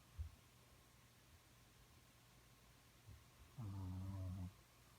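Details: A dog dreaming and snoring while asleep indoors: faint low snuffles near the start, then one louder low, droning snore with stacked tones lasting about a second, against a steady low hum.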